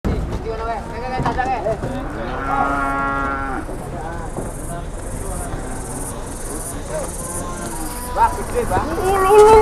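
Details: Cattle raging at a market in 2021, a harmonic moo swelling around the middle amid crowd chatter, with a steady high whine and scattered clatter through the rest.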